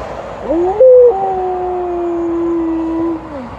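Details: Alaskan Malamute giving a very long howl during a walk: a rising opening note, then a sustained, level, mournful tone held for about two seconds before sliding down to fade out, with steady low background noise.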